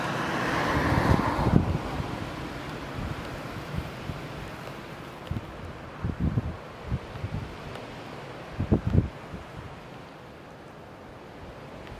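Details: Wind rumbles and buffets the microphone, with low thumps and handling noise, and no animal voice stands out.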